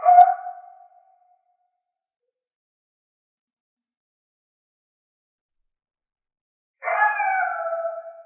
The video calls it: coyote sound effect